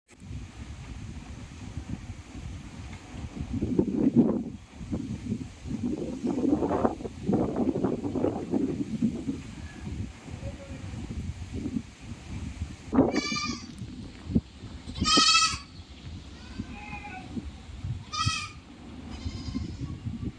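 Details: Goats (Capra hircus) give short, quavering bleats after a stretch of blustery wind noise.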